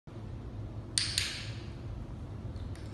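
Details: A quiet room hums with low background noise and a couple of brief glassy clinks, with no animal sound present.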